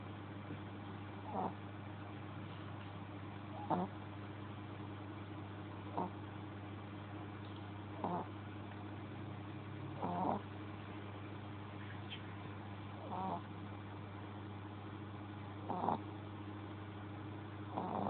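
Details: Sleeping pet Shih Tzu snoring, with short husky rasps coming roughly every two seconds, some louder than others, against a constant low droning hum indoors.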